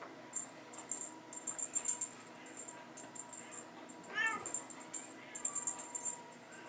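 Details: Bengal kittens playing in a hallway with their mother during teaser play time; a single clear, bending meow arrives partway through, surrounded by frequent bright rattling and jingling of the toy.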